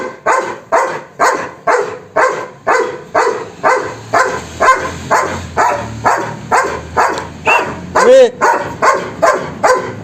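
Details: Loud German Shepherd barking in a regular run, about two harsh barks per second for ten seconds, with one higher, whining yelp near the end amid the barks.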